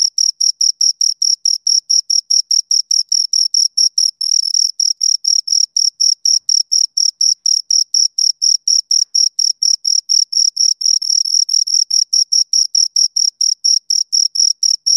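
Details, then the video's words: Chirping of two crickets, sound made by rubbing wings or legs together: rapid high-pitched pulses repeating steadily, several merging into longer trills around the middle and near the end, against complete silence otherwise. "Two Crickets Chirp Sounds"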